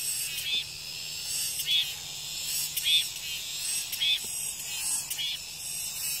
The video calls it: REAL SOUND 매미소리